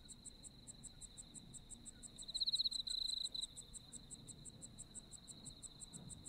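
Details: Autumn insects in Japan: a steady high trill runs throughout, overlaid with regular higher chirps about four per second, and a louder pulsing burst swells from roughly 2.5 to 3.5 seconds over faint low background hum.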